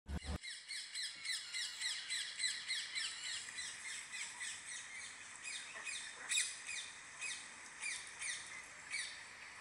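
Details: Goeldi's monkey calling: a steady run of high, thin, chirping whistles with quick downward sweeps, repeated about once a second with sharper accents, over a faint outdoor background.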